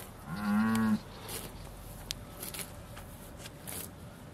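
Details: One brief, level, low moo lasting under a second from a Beaulands Aussie Red dairy cow awaiting milking in December 2012, followed by faint background rustle and clatter.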